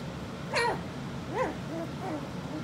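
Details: Four-week-old puppies from Skittles' litter give a few short whining yelps, each sliding quickly up and down in pitch, the first loudest and highest, the later ones softer, lower whimpers over a quiet indoor background.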